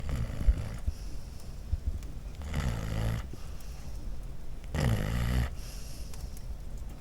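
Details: Dog snoring at Christmas: deep rumbling snores in slow cycles, with loud raspy bursts around the third and fifth seconds, low and throaty throughout.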